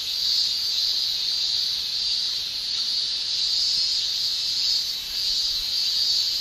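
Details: Continuous high-pitched shrilling of male cicadas in a Japanese summer, made by tymbals, gently pulsing in slow surges of loudness with no other clear sounds.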